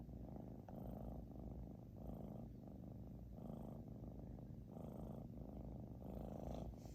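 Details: British Shorthair cat Xiaoguai snoring hard, its low, rattling drone alternating between stronger and softer phases roughly every second as it breathes; nothing else is audible.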